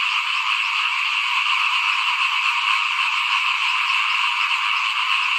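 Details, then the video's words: In front of a house at rice sowing time, 2021, a short burst of small frogs chorusing: dense overlapping croaks with a slight pulsing flutter, steady in loudness from start to finish. "ฟินๆกับเสียงเขียดร้องหน้าบ้าน ตอนหว่านข้าวเตรียมปลูกปี2021"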